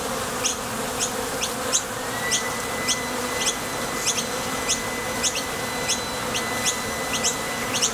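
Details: Honey bees leaving and arriving at a Top Bar Hive entrance while gathering nectar; steady layered hum with quick ticks almost twice a second and a thin, steady higher whine entering partway through.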